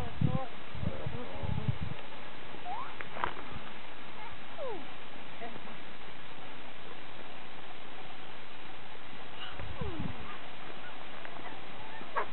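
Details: Geladas in the mountains of northern Ethiopia in January 2007 give low grunting bursts mixed with brief sliding, wavering calls.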